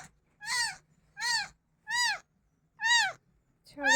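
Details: Pet cat crying insistently though it was just fed, giving five short, bright meows in a steady series, one roughly every three-quarters of a second, each arching up then falling; faint background hum.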